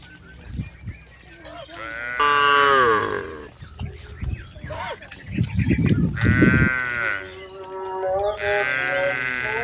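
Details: Tame cattle being herded in an Indonesian rice field give several rich, drawn-out moos, some rising in pitch, mixed with low thuds and shuffling sounds in the background.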